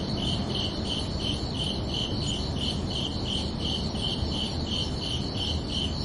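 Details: Night-time crickets on a summer evening give a regular run of bright, high chirps, roughly two to three per second, without pause, layered over a dense low-pitched background noise.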